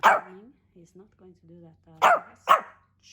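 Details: Male Pomeranian Hendo, two years old on his birthday, born 20 August 2021, lets out short punchy barks at the start and twice near the end, with human speech between them.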